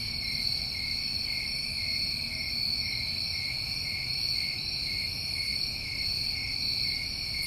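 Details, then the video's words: Crickets on a New England summer, many calling at once in a steady, unbroken high trill, with layered pulsing tones and a faint hiss underneath. "Over 1 Hour Of Tinnitus Masking With Crickets"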